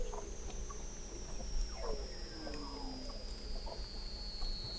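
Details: Beneath the sea ice of McMurdo Sound, Antarctica, in November 2017, an observatory 21 m down captures Weddell seals; a faint descending glide and soft chirps sit under a constant high steady tone and low rumble.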